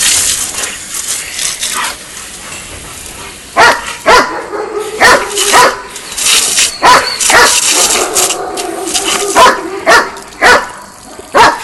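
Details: A long-coat German Shepherd named Argos, three years old, DDR/Czech working line, attacks a spraying water hose in play, giving a run of sharp, irregular barks and yelps roughly every second against steady water hiss.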